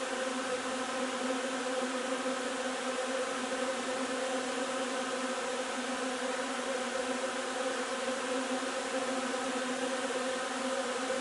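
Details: Many honey bees at a hive gathering linden nectar on 3 June make a continuous, unbroken drone, a thick humming buzz that stays level for the whole stretch, with nothing else standing out.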